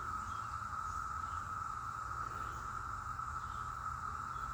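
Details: A dense chorus of cicadas, heavy in this mountain area of western North Carolina, makes one steady, very loud droning whine that never pauses.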